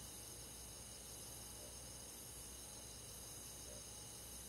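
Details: Crickets singing with other insects on a rural summer night, a constant high-pitched ringing drone of overlapping trills, low and even in volume, with faint soft pulses lower down.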